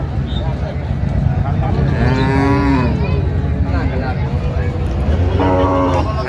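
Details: Dairy cows and calves at Raniganj cattle market, Dinajpur, 26 November 2025: a drawn-out low moo in the middle and a shorter one near the end, set against dense, steady crowd chatter and background din.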